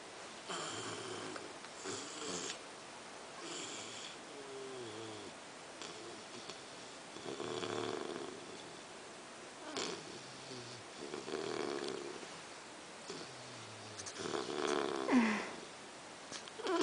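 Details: Sleeping English Bulldog, Amy, lying next to a chihuahua named Nuguett, snores steadily: rough, buzzy breaths repeating roughly every one to two seconds in a small quiet room.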